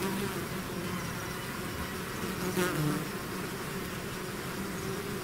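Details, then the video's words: Bee swarm pouring out of its hive, a dense steady drone with layered hums near 200 and 400 range, individual bees flickering in and out, one louder pass of a close bee midway. "bees therapy swarm natural buzzing sound"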